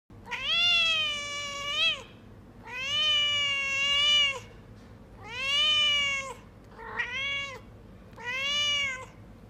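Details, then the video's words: Hungry Persian kittens crying out: five long, whiny, drawn-out meows, each lasting one to two seconds with short pauses between, the fourth one shorter and broken. "hungry kittens"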